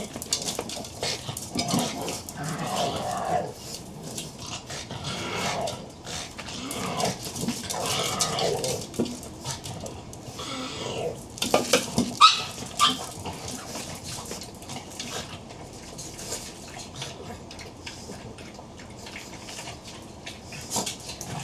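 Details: Pug at breakfast, giving a run of low, rough grunts and snuffling vocal bursts over several seconds, then scattered sharp clicks and clatter with faint voices in the background.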